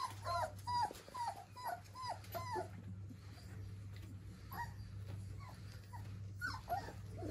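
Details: Four-week-old German Pinscher puppies whimper in a series of short, high, squeaky yelps that rise and fall, several in quick bursts, over a steady low mains hum.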